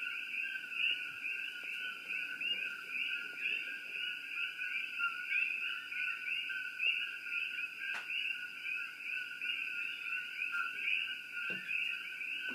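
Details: Coqui chorus at Shakti-Shiva Palace: countless rapid, high, slightly rising chirps overlap into a bright steady trill, broken by a couple of sharp knocks near the middle and end.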